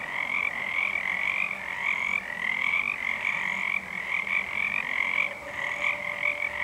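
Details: A crowd of Pacific tree frogs calls on a February night under a full moon in 2011: steady, overlapping creaky notes that blend into a continuous, rhythmic, high-pitched wall of croaking.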